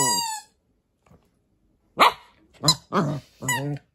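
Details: Kotetsu, a Papillon-Corgi mix dog, barks while playing indoors with a rice ball toy in Japan. A high toy squeak is followed by silence, then four sharp barks in quick succession over about two seconds.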